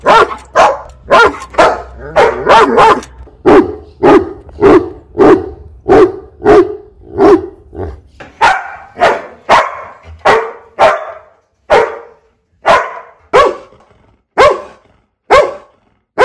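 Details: Loud dog barking from a compilation of fifteen breeds: a rapid run of regular barks with a low background rumble, slowing later to single barks spaced about a second apart.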